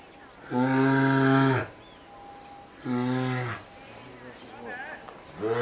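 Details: Polar bear cub Lila, a two-year-old female kept with mother Lara in a cage at Sapporo's Maruyama Zoo, pleads to suckle. Two long, loud, nasal bawls, the first over a second long, then another call begins.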